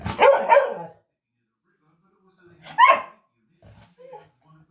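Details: Dog in the United Kingdom barking at its own reflection in a mirror: a pair of quick sharp barks, a pause, then a single higher bark, with faint quiet sounds after.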